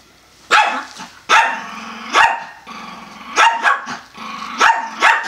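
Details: Pomeranian barking during a doggy fight between Peanut and Homie, after Peanut tries to fetch a bone and Homie gets mad; sharp high barks come in quick bursts, about eight in five seconds, with growly rasps between.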